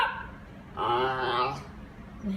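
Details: Female Basenji vocalising at home, described as talkative and seeming to try to tell her owners something: one drawn-out, wavering yodel-like howl with rich harmonics lasting under a second, preceded and followed by quieter murmurs.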